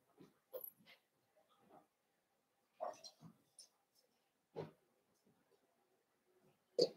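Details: Blenheim Cavalier King Charles Spaniel puppies, a litter of five born at New Year's, indoors in a home puppy pen; short scattered grunts, squeaks and soft whimpers, with breathy snuffles between quiet pauses in a small room.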